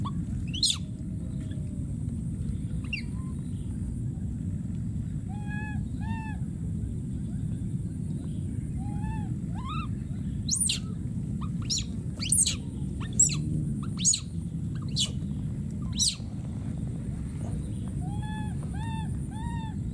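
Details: Wild baby monkey screaming for a missing friend, with scattered sharp shrieks sweeping high, mid-pitched arched wailing cries in short runs, and a steady low rumbling backdrop throughout.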